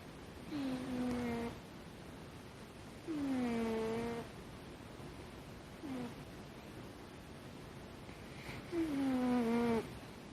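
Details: Kitten snoring in a peculiar, strongly characteristic way: four squeaky, whistled breaths, each dipping in pitch and lasting about a second, spaced roughly two and a half seconds apart, one short and faint, over quiet room hiss.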